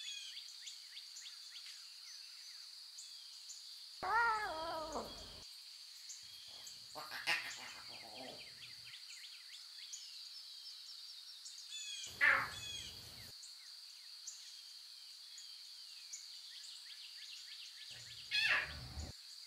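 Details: Wild lion cubs with their mothers in natural surroundings give short, harmonic, wavering meow-like calls in four separate bursts, about every four to six seconds, over a steady high-pitched buzzing background.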